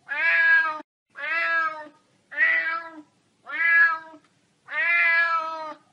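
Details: Domestic cat meowing in a collection of sounds said to irritate pets: five short, slightly rough meows, each under a second, coming about every second and a quarter.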